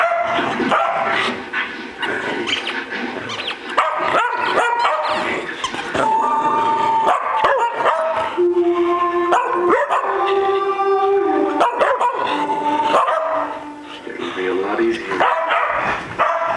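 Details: Three pet dogs at play, worked up and acting wild; a rapid jumble of barks and yips mixed with drawn-out whining and howl-like tones of shifting pitch, continuous and noisy with a quieter stretch near the end.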